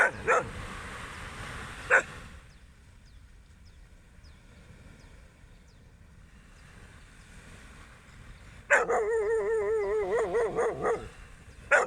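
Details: Dog barking during a beach walk at sunrise: a few sharp single barks spaced about two seconds apart, then a quiet stretch, then a loud wavering, warbling tonal sound lasting about two seconds, with a final sharp bark.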